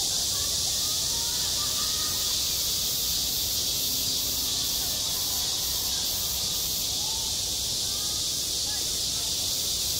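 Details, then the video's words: Cicadas singing on a school playground in high summer: a dense, unbroken, hissing buzz fills the high range throughout, with faint children's voices murmuring underneath. "한 여름 운동장에서 매미가 울고 있다 - 여름의 소리, 학교 종소리, 매미 울음소리"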